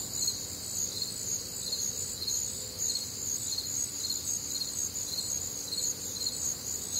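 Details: Warm, humid summer night in the American Midwest with a crickets' chorus: steady, piercing high trills and rhythmic chirp pulses near two per second, plus a faint low hum.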